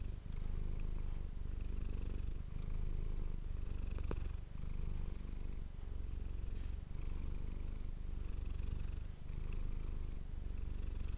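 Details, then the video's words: Domestic cat Manis, recorded on an ASMR microphone, gives a deep, even purr, a rapid low throbbing drone with faint rhythmic higher hiss pulses and one sharp click near the middle. "ASMR cat purring ❤ Manis die aan het spinnen is"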